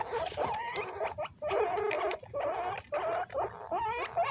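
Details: Several pet guinea pigs scramble and fight over bananas, voices raised high. Shrill, wavering squeals with rising and falling whistled tones come in bursts, broken by short pauses and rustling.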